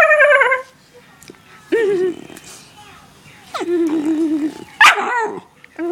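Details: Daisy the pet dog barks and howls: clipped yelping barks mixed with short, wavering, whining howls, coming in separate bursts with pauses between.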